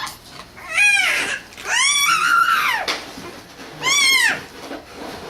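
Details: Izzy, a cat, making noise: three arching, nasal meows, a short one, a long drawn-out middle call rising then falling, and a brief final one, in a quiet room.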